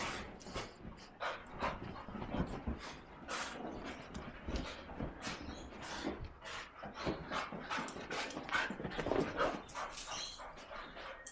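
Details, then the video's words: Big male English cocker spaniel in an excited frenzy after being washed: rapid, irregular breathy huffs and short whiny sounds mixed with thumps and scrabbling, repeated steadily for about eleven seconds. "cocker spaniel goes mental after his wash"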